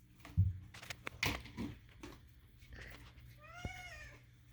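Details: Indoors, Moo the house cat lets out one drawn-out, bending meow near the end after thumps and shuffling sounds.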